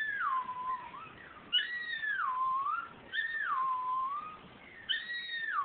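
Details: A male Miniature Schnauzer howls in long, wavering tones that slide down and then rise again, singing along to a Carrie Underwood song on TV as he does weekly.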